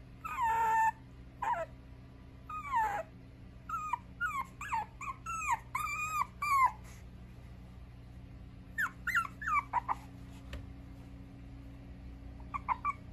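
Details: Mixed-breed puppy at a dog breeder in Okayama, Japan, giving high, wavering whimpers and whines in short bursts, some sliding down in pitch, repeated irregularly with brief pauses between, over a steady low electrical hum.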